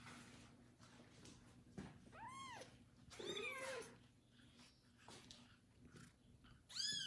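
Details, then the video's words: Bathed kitten being licked by a foster mother cat utters a few arched meows, spaced widely, against rustling and a faint hum. "loud meowing kitten after his first bath"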